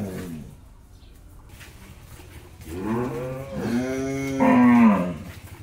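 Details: First-calf Jersey-Mundi cross cow with her young bull calf on a dairy farm in Pabna, Bangladesh. Several lowing moos run together, swelling and breaking, with the loudest and highest call coming last.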